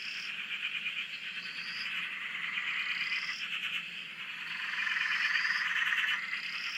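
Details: Frogs calling together on a dam in Australia, heard from a shack: a thick, unbroken chorus of rapid pulsed croaks, swelling louder toward the end, with short upward-sliding whistled notes repeating above.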